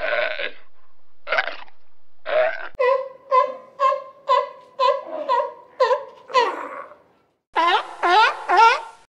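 A sea lion gives hoarse, honking barks in quick succession, roughly two each second.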